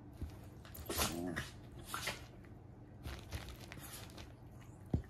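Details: A big and a little Basenji mix puppy play-fight, growling low and rumbling, with sharp yips breaking through.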